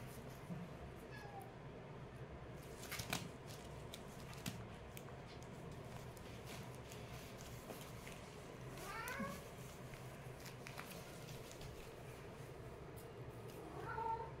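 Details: Kittens play-fighting, with a few short meows over a steady low rumbling hum. One clear rising-then-falling meow stands out midway, and a brief thin cry comes near the end, among scattered clicks and scuffling taps.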